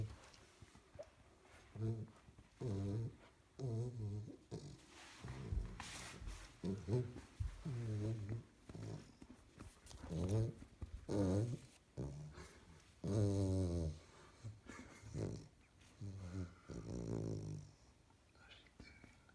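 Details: Sleeping 12-week-old female springer spaniel puppy, seemingly dreaming, gives deep breathy snores mixed with low wobbling moans and soft whines, each about a second with short pauses, in a small indoor room; English Springer Spaniel.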